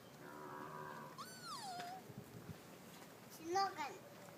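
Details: Sika deer at Kuragaike Park in Toyota, Aichi, Japan, recorded on an iPhone 4S: a drawn-out high nasal call that slides downward and fades, then a few short squeaky rising and falling notes near the end.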